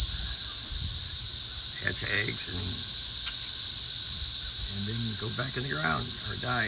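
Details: Numerous cicadas emerging in a garden and flying about as birds chase them. An unbroken, piercing high-pitched drone runs throughout, overlaid by intermittent male speech.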